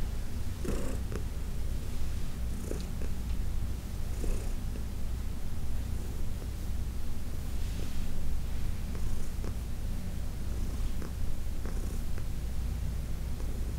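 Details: Fourteen-year-old adopted cat Heidi purrs steadily during a massage, a dense low drone with a few faint clicks and rustles of handling scattered through it.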